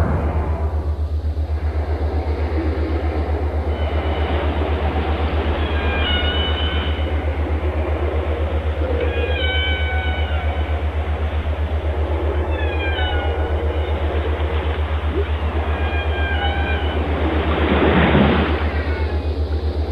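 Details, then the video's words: Whale song: a series of short harmonic moans and downward-bending cries spaced a few seconds apart, a continuous low mechanical-sounding pulse beneath, and a loud rushing swell toward the end. "Walgesang canto das baleias песни китов 鯨歌 שיר לווייתן whale song व्हेल गीत أغنية الحيتان"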